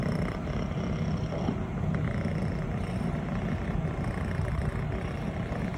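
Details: A six-month-old female longhaired brown tabby-and-white Scottish Fold kitten purrs in a steady, deep, rumbling drone that never pauses while being petted.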